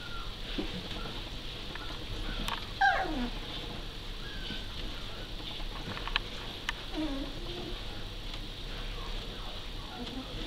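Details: Working Cocker Spaniel puppies, four to five weeks old, in Devon in September 2012, giving short high squeaky whimpers that slide sharply downward, a few scattered through the stretch over a steady background hiss.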